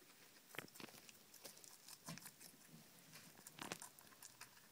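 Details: Night-time cucumber snack for guinea pigs, heard as bursts of wet crunching every half second or so, several louder bites standing out.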